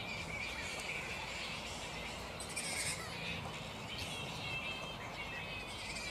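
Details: Unsettled black flying foxes at their roost in mid-morning, filling the air with overlapping harsh squeaks and thin shrieking chatter, some notes briefly louder and higher, over faint background noise.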